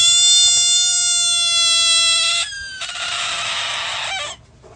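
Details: A frog screaming when touched by a dog: a loud, sustained cat-like wail with a steady harmonic tone for over two seconds, then a harsher, noisier second scream lasting about one and a half seconds.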